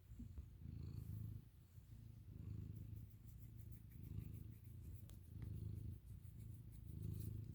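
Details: American Ringtail cat named Milo indoors, drifting from snoring into purring: a deep, rumbling purr in slow, swelling waves, each breath cycle rising and fading about every two seconds, with faint clicks in the background.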